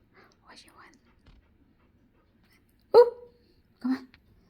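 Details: A female Siberian Husky gives two loud, sharp barks, asking to play, after some quiet human talk.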